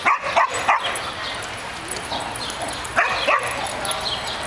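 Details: Rhodesian Ridgeback named Uji playing in a park dog run with a beagle, 21 June 2008; a few short sharp barks near the start and again around three seconds, over steady outdoor background noise.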